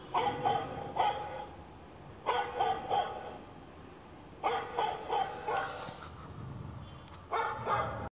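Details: A 2-month-old male Shih Tzu puppy gives sharp, mid-pitched barks in quick bursts of two or three, reacting to a dog-barking sound.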